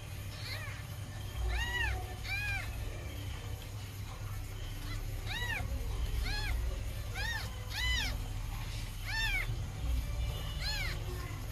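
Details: Calico mother cat nursing her kittens; about a dozen short, high, arching mews sound at irregular intervals over a steady low hum.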